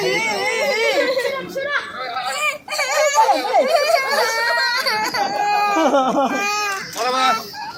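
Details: Baby monkey in a forest in China crying loudly: strained, wavering wails with many harmonics, rising and falling in pitch, in long nearly continuous bouts broken by brief gasping pauses.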